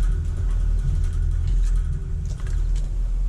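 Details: A steady, heavy low engine rumble like an idling vehicle fills the whole stretch, with no animal voice heard.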